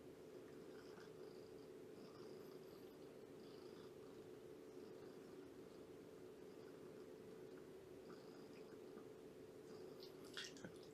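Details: Purring from Shelby, a rescued two-year-old mother cat in foster care with Purrfect Pals on a morning visit: an unbroken low drone for eleven seconds, with brief faint squeaks and a small rustle near the end.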